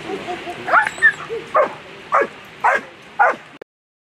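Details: German Shepherd Queen v Lesimo in the final of the World Championship Agility, finishing second as vice world champion; six sharp barks about every half second, with softer yips and murmuring at the start, then an abrupt stop.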